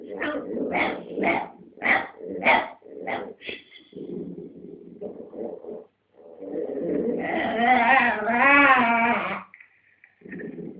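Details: Domestic dog fighting with another dog over a dog chew; quick run of sharp snarling barks, then low rumbling growls, building into a long wavering whining howl-like growl.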